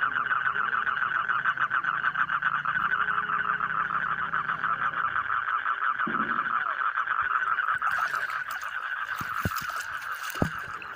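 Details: Frog chorus with fast, buzzy, pulsed calls repeating about three times a second in an unbroken stream; near the end, louder rustling and clicking noises join in.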